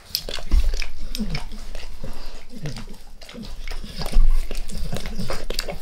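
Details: Indoors, the dog Max licks his owner's face: sloppy slurping strokes and wet smacks over heavy low thumps of breath or handling against the microphone, louder near the start and again after four seconds.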